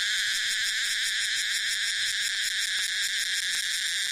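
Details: Cicada song attributed to Tosena albata, amid a mix of several cicada species: a continuous shrill, metallic drone with layered high tones and faint rapid pulsing, with no other clear sounds.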